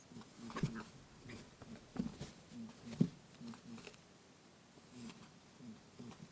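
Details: Lop rabbit chasing its playmate Pooh indoors, giving soft, low 'boo-boo' grunting bursts between a few louder thuds, the grunts coming in short clusters. Made with a TASCAM DR-07X recorder.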